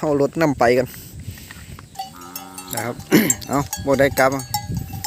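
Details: Several calves that cannot find their mothers cry out, short wavering bleats overlapping with one flat, sustained moan in between, repeated in quick succession.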